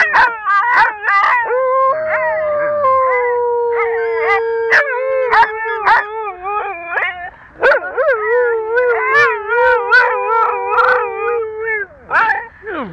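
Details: Domestic dogs singing together, long sustained howls that dip and rise in pitch, two or more voices overlapping, punctuated by quick yips throughout.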